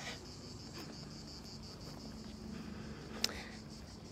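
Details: On the ancient Appian Way near Rome, with hills in the distance and long shadows, loud cicadas hold a steady, high, hissing drone with faint pulsing under low outdoor rumble.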